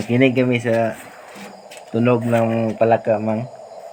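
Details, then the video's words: Frogs near a house at night give loud, deep, buzzy croaks in three bursts, each lasting about a second, with short gaps between them. A faint chorus hums behind. "Sound of frogs so amazing nearby my house (tunog ng palaka)"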